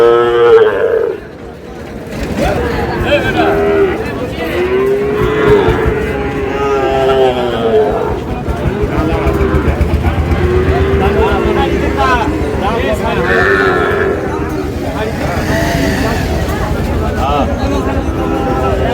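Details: Repeated bovine lowing from Sahiwal bull calves on a busy market day at Ambari haat, Dinajpur. Several sustained, wavering moos overlap with people talking and haggling close by.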